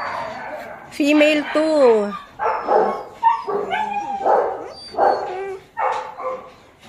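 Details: German Shepherd pups at Zondiram Kennel: a drawn-out falling whine, then a run of short yelping barks and yips from more than one puppy, with a human voice mixed in.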